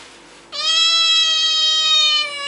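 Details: Kitten giving one long, steady, drawn-out meow that holds an even pitch for about two seconds, then fades at the end, with a quiet room behind it.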